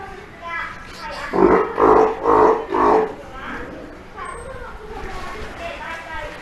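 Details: Steller sea lion pup, about three months old, raised by its mother Hina at Ise Sea Paradise aquarium in Japan; four loud, hoarse bawling bursts come in quick succession, each about half a second, amid people talking.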